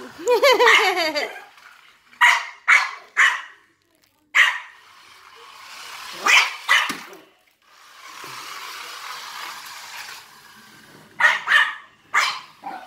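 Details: A Maltese called DJ barks at a remote-control cop car; a whining, wavering yelp opens, followed by spaced sharp barks, a stretch of noisy motor-like hiss, and a final trio of barks.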